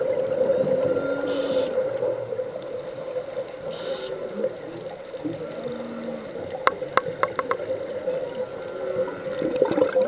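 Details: Underwater off Hawaii on a scuba dive, humpback whales sing in low, drawn-out tonal moans, two or three held notes spaced seconds apart, over a constant hum, with hissing bubble bursts and sharp clicks and knocks.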